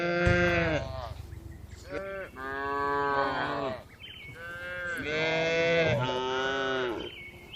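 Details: Tame cows in a well-kept farm barn, among dozens relaxing and moving calmly, moo loudly in a repeated series of full, harmonic calls. Each lasts around a second, with brief pauses and overlapping voices between them.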